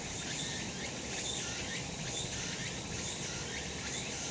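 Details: Cicadas on a sunny summer mountain produce a thick, shrill, even drone with beating pulses repeating a little faster than once a second.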